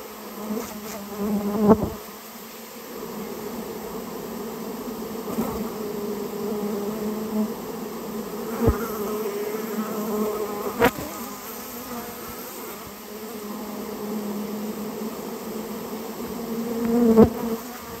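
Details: Humming colony of Japanese honey bees removed from a storehouse where they had nested; an even drone with harmonic layers runs throughout, punctuated by occasional crisp clicks and knocks.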